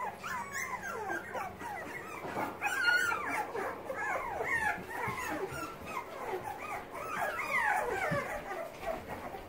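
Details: Young Boxer puppies learning to use their legs and paws, giving many overlapping high whimpers and squeaks that rise and fall in quick succession, steady chorus throughout with faint rustling.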